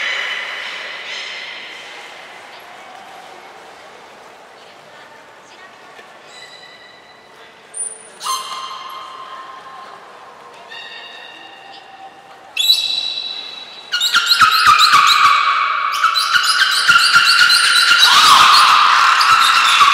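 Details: Belugas Mirai and Nico during a training session at Port of Nagoya Public Aquarium on 20 February 2021: a series of short, rich harmonic calls and whistles, some rising, followed by a burst of loud broadband noise and rapid pulsed clicks.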